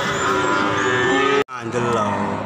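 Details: Cattle bought again, giving a drawn-out harmonic moo lasting over a second, a brief break, then a shorter second moo, with faint background voices.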